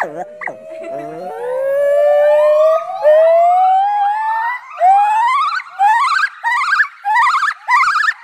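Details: A small white-cheeked gibbon at a park, provoked by visitors, howls very loudly: a long, slowly rising whoop, then a quickening run of short upswept notes; gibbons call to establish territory and reinforce family or mating bonds.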